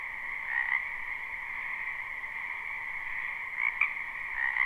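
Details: Spring wetland frog chorus, recorded live without looping: constant layered trilling with a few louder individual croaks rising above it near the start and again near the end.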